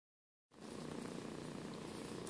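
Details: Two 8-week-old foster kittens, Sanibel and Sunny, at playtime; after a half-second of silence a steady, close, rumbling purr runs unbroken to the end, low and grainy, with no other clear sounds.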